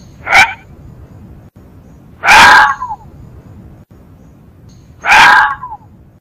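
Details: Fox calling with three hoarse, abrupt barking yelps spaced roughly two and a half seconds apart, the later ones longer with a drooping tail; otherwise silent background.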